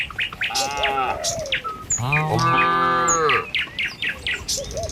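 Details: Herded tame cattle crossing a village road in the morning en route to feeding grounds; one long, rich moo swells and fades over about a second and a half, framed by short bird tweets and whistles.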